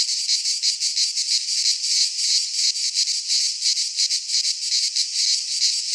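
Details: In a Greek pine forest in midsummer, many cicadas sing together in a piercing, sizzling drone that swells and dips in fairly regular beats, close to three each second.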